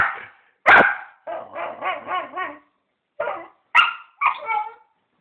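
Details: Pet dog making weird noises while going wild: one loud bark, then an undulating, wobbling yowl rising and falling several times, followed by short sharp barks and a warbling yip.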